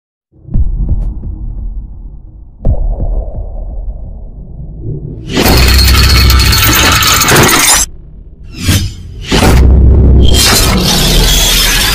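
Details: Low rumbling noise broken by loud, broadband bursts of rushing, crashing sound, with no animal voice heard.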